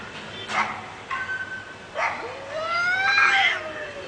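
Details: A real cat fight: a few short scratchy bursts, then a rising, strained yowl that swells and slowly falls away.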